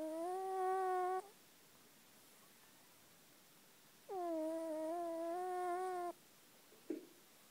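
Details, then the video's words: Sleeping house cat Luca snoring indoors, two drawn-out humming, whistled breaths about two seconds each with a pause between, a small click near the end, otherwise a still room. "Luca, a horkoló macska // Luca the snoring cat"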